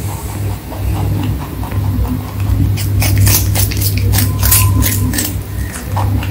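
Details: Rabbit crunching its food, with faint ticks at first and then a rapid volley of loud, crisp crunches in the second half, over a steady low hum and a short thin whine.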